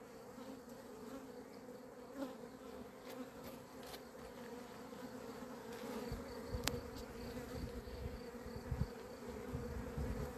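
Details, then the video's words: Swarming honey bees, described as having gone crazy on 28 April 2026 as the beekeeper waits for them all to go in within minutes: a continuous two-toned droning buzz over ten seconds, with scattered ticks and light handling noise. "albinele mele au luat-o razna"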